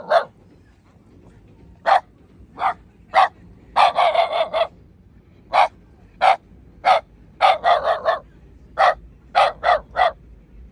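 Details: Shiba Inu named Shimeji barking while facing a gorilla: sharp single barks spaced about a second apart, with rapid bursts of several barks near four and seven-and-a-half seconds, over a quiet background.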